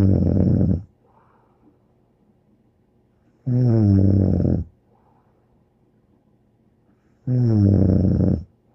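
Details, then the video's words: Bear the dog snores in a steady rhythm, three low, grating snores roughly four seconds apart, each about a second long, separated by near-silent breathing gaps. "More angel Bear Snoring"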